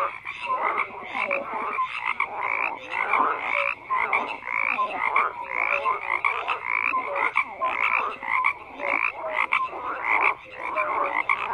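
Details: Many frogs croak together in a busy, unbroken chorus of rapid pulsed rattles and short whistles, with loudness swelling and dipping every few seconds.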